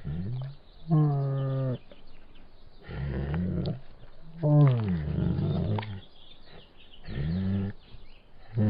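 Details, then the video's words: Bengal tiger voicing a series of four deep, harmonic roaring moans, each about a second long, some sliding downward in pitch, separated by short pauses with low breathy sounds between them. "Sonido de un Tigre de Bengala"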